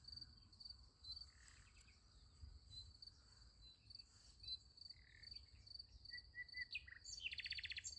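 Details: High, even cricket trilling fills a night beside a sunflower field, broken by scattered short chirps, a few mid-pitched whistled notes, and a dense rapid buzzy burst near the end.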